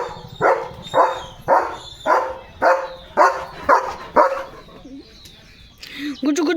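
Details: Excited over a chicken chips treat, pet German Shepherd Leo barks steadily, eight strong barks at about two per second, followed by a person's voice calling him to eat.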